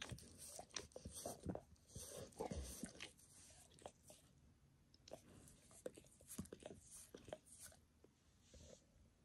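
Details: Max the dog giving himself a bath, licking his paws and a nearby human foot, shin and knee in a spontaneous recording; wet, smacking licks come in quick irregular bursts, with soft clicks between them and no talking.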